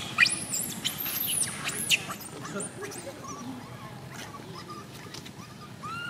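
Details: Tiny female baby monkey MoMo crying after a fall: loud, high-pitched arching squeals crowd the first two seconds, then fade into softer scattered chirps and short whistled notes over a steady murmur of outdoor background noise.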